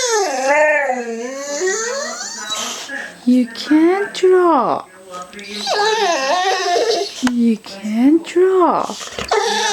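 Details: A pet boxer named Rocky, two years old, pleads to draw with a long series of wailing, yodel-like whines. The pitch swings up and down and the whines break into short rising yelps. A person chats with him over the top.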